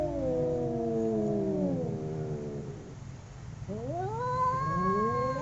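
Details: Two domestic cats in a fight howl at each other: a long descending moan, a brief lull, then a rising, strained yowl swelling upward toward the end.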